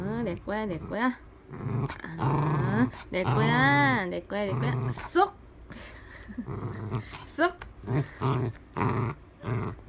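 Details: Dachshund at play indoors, vocalising in a run of drawn-out, wavering growly moans with rising and falling pitch, several long groans in bursts with short pauses between them.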